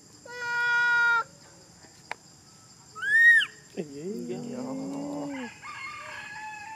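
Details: Monkey crying: a steady one-second wail, a sharp click, a high arched squeal, then a lower wavering moan with a buzzy overlay and faint chatter.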